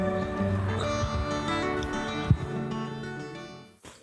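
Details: Background music with sustained tones and plucked strings fills the whole stretch, and no animal calls can be picked out.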